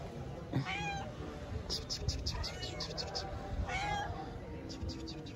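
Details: A tabby cat living on the street in Istanbul gives two drawn-out, rising-then-falling meows, asking for affection and food.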